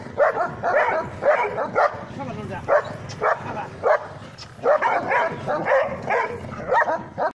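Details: A Kuchi, a German Shepherd and a labrador bark in short clustered bursts separated by gaps, harsh, mid-pitched yaps, with human voices faintly mixed in between.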